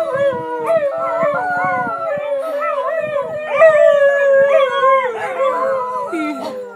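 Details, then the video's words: Several whippets singing with a siren at an alarm drill, overlapping yodelling howls bending up and down in pitch, with yips mixed in, over a slowly falling siren tone. "Whippet`s singen bei einer Alarmübung."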